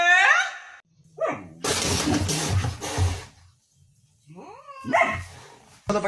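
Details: Angry dog barking in a compilation of angry dogs: downward-sliding yelps open it, then a harsh, noisy burst of barking lasting over a second, followed by more falling yelp-like calls separated by short quiet gaps.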